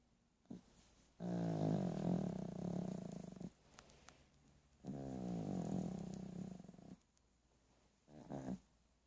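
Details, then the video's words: A sleeping dog snoring; two long, low vibrating rattling breaths of about two seconds each, with a short soft snort between them and a final brief one, quiet room. "Snoring dog."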